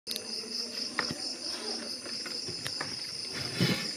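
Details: Crickets caught by hand; a steady, shrill, high pulsed trill runs through the whole stretch, with a few sharp clicks and rustles from handling.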